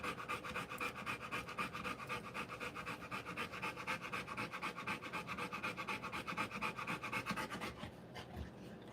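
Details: Rottweiler dam giving birth, panting hard and fast, about four breaths per second in a steady rhythm, fading out near the end.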